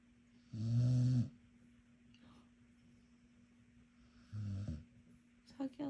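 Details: Sleeping pet dog snoring indoors: two low, rough, droning breaths about half a second each, separated by a long quiet stretch over a steady low hum, with faint clicks near the end.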